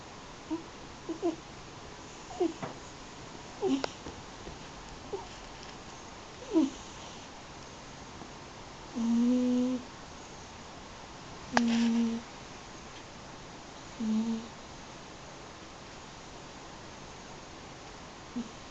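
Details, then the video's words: Sleeping Munchkin–American Shorthair mix cat named Yuzu, eight years old, snoring indoors as she does daily. Soft low nasal snores recur every two to three seconds, some brief and faint, others fuller and humming, in a quiet room. "いびきをかく猫（ゆず） Cat snore"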